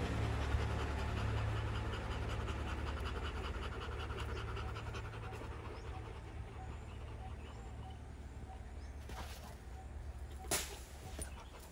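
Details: Rottweiler panting after fighting, one of a Rottweiler family: fast, rhythmic breaths at about three to four per second, strongest over the first six seconds and then fading, over a steady low hum with two brief sharp noises near the end.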